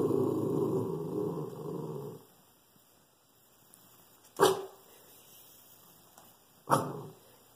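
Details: A Shih Tzu growls low and rumbling, then gives two sharp, separate barks at a squirrel in a tree, guarding the house.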